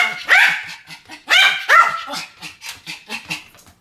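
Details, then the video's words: Two Pomeranians barking in a duet: sharp, high yappy barks in bursts near the start and middle, then a run of quicker, softer yips toward the end, irregularly spaced. "ポメラニアン Pomeranian デュエット吠え 1000回 犬の鳴き声"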